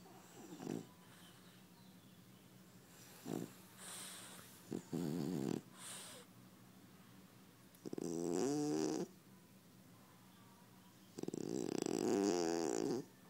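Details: French Bulldog snoring in repeated rough, rattling breaths, short snorts early on then two longer buzzy, vibrating snores of about a second each, separated by quiet pauses.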